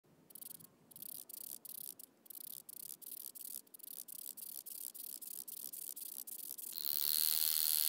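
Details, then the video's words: Stenobothrus rubicundulus grasshopper at Mala Ucka, Croatia, on 26 July 2023: a dry, high buzzing made of short rasping bursts repeated about three to four times a second, ending in a louder steady hiss during the final second. "Stenobothrus rubicundulus -- Schnarrender Heidegrashüpfer"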